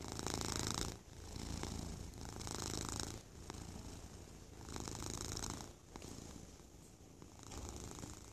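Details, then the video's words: Sleepy domestic cat purring while being cuddled: a steady low rumbling purr that swells and fades in breath cycles roughly every two to three seconds, with soft airy breathing noise above it. "Purr duet"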